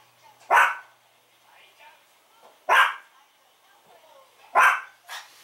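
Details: Pet Chihuahua indoors reacting noisily to the doorbell, not yet trained to stop barking: three loud, piercing single barks about two seconds apart, with a softer yap at the end and a quiet room between.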